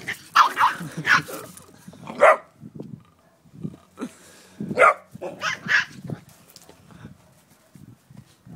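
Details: Two puppies that don't get along, a 9-week-old Great Dane and Dogue de Bordeaux mix and an 8-week-old miniature Labradoodle: sharp yappy barks in bursts around one and two seconds and again near five, with low grumbling growls between.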